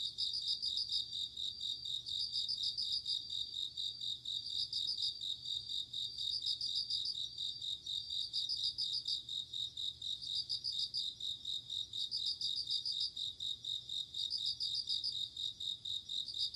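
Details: Autumn night insect chorus led by a bell cricket: clear, high, tinkling trill bursts recurring about every two seconds over a constant ringing background hum of other night insects.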